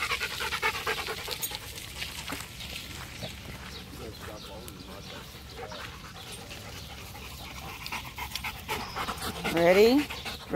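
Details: Macho the Rottweiler, out playing fetch and filmed on a Galaxy phone, pants in a fast, even series of huffs; a man's voice rises near the end.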